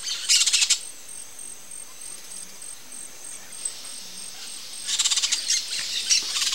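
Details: Brown-nosed coati, or South American coati, uttering two bursts of fast, buzzy, high-pitched chattering squeaks, one at the start and one near the end, separated by a quiet stretch with a faint steady high whine.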